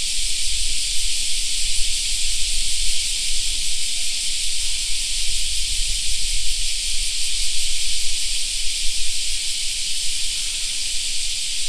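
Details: Cicadas in a summer park: a dense, unbroken hiss-like buzzing fills the high range for the whole stretch, steady in loudness, over a low rumble underneath.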